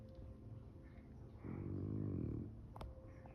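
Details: A sleeping French Bulldog with its face buried in a couch snores with one long, low, rattling rumble in a quiet room.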